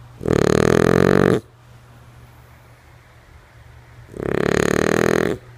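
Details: Two loud, grating snores from Lulu, a female French Bulldog fast asleep, each about a second long and nearly four seconds apart; a faint steady hum fills the pauses.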